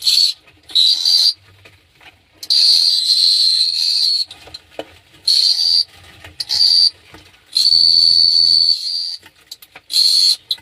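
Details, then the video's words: Cricket chirping at night in Phteah Prey: loud bursts of piercing, high buzzing, some brief and some lasting about two seconds, separated by irregular quiet gaps, with soft low-pitched background noise between them. "The Sound of Cricket Chirping"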